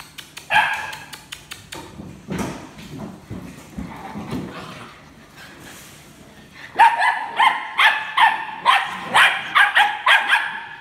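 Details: A litter of rescue puppies: scattered soft yips and clicks at first, then a run of sharp, high, ringing barks, repeated about every half second until the end.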